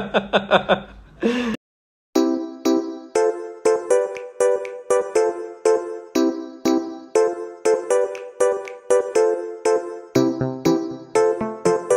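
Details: Chiming children's music with bell-like dings repeating about twice a second, after a short burst and a brief silence at the start.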